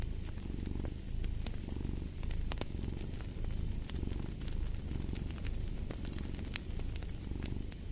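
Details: A cat's low, throaty purr swells and eases in breathing cycles roughly every second and a half, while crackling fireplace pops snap intermittently above it.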